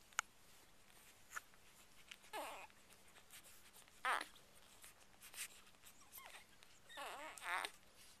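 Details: Two-day-old Chocolate Labrador Retriever puppies, a litter of seven with their mother Ruby indoors, give short wavering squeaks and whines at irregular intervals, with a longer quavering squeal near the end and faint rustling between.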